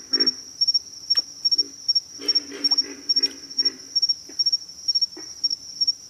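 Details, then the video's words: Pig frogs grunting in low, rough bursts of three or four pulses, each run lasting under a second and coming roughly every half second, over a steady high insect drone. "pig frogs - sound effect"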